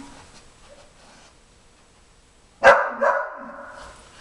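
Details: Jimmer, a 4.5-month-old Briard puppy, calls from the background, eager to join Queen, a 5-year-old German Shepherd, at her first nosework try finding treats under tennis balls: a sharp bark followed by a shorter second one after quiet.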